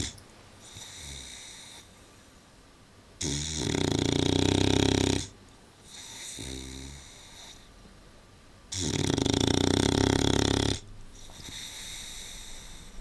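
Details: An Old English Bulldog sleeping in a slightly too-small dog basket snores in a slow cycle, with deep rattling two-second inhales and quieter wheezy exhales between, over a faint hiss of breath.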